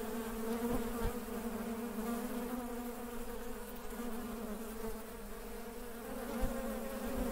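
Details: A steady drone of working honey bees, low and harmonic-rich, fairly even in loudness with a brief knock late on.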